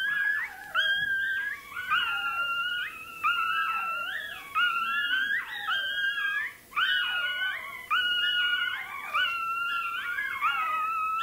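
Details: Toy terrier puppy squealing while its tail is docked; continuous loud, high-pitched wavering cries with sliding harmonic notes, repeated roughly every second with barely any pause.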